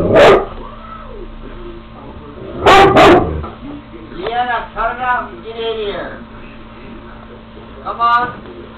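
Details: Female Great Pyrenees barking at a window: one deep bark, then a quick double bark, followed by a person calling the dog in with repeated spoken commands.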